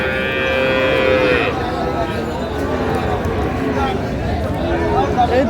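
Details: Sahiwal cattle among bull calves being sold to a Gazipur farmer on 8/5/25, Bangladesh: one drawn-out, slightly rising tonal moo for over a second, followed by overlapping men's voices and bargaining chatter.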